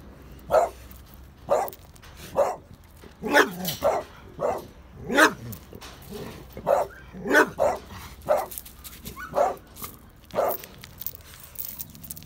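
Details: A small French Bulldog guards a Pitbull and a Bullterrier, barking in short, sharp bursts about once a second.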